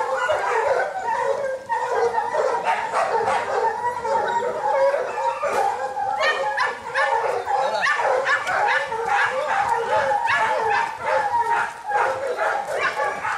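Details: Young Kishu hunting dogs train on boar in Japan in 2010, with Joe, Takeshi, Rin, Momo and local dogs. A chorus of dogs barks and bays nonstop, with rapid yelps, higher whining howls and brief dips in the din.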